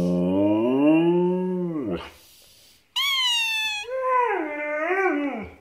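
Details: A Siberian Husky, one and a half years old, talking to a squeaking toy with long drawn howling moans that bend and fall in pitch, then a higher sharp cry and a wavering, yodelling whine-howl.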